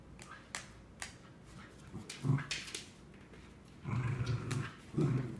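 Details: Two Cardigan Welsh Corgis, Scout at 3 1/4 years and Obi nearly 9 months, playing tug-of-war over a new toy; low, rumbling growls come in short bursts, one lasting nearly a second, between sharp clicks and rattles.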